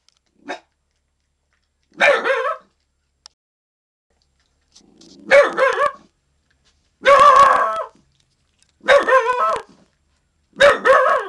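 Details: Young dog named Little Man, under a year old, barking to guard the yard and warn of an intruder; five spaced, harmonic barks with pauses of one to two seconds, the first a short faint yip.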